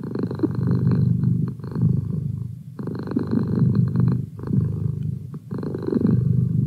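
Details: Merlin, a pet cat described as a feline study assistant, purring steadily indoors; a low rumbling purr swelling and fading in long breaths, roughly every two to three seconds, with brief pauses between cycles.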